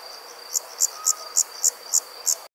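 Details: An insect gives high, bright chirps repeated about four times a second over a thin steady whine, recorded with evening background noise.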